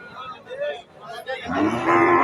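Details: Cattle at the Chechua Notun Bazar cow and goat market near Muktagacha, Mymensingh, Bangladesh, in 2025; a low drawn-out moo swells in the second half with crowd chatter and voices around it.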